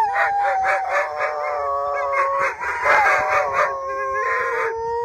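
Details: Pair of Siberian Huskies howling near Mosaic Stadium, Regina: sustained mournful tones with rapid pulsing, wavering overtones, two voices layered, pitch dipping slightly near the end.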